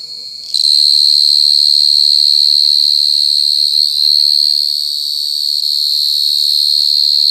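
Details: Mole cricket (gangsir) trill starts abruptly after a moment of quiet, then rings on as an intense, steady high-pitched tone, slightly wavering in loudness.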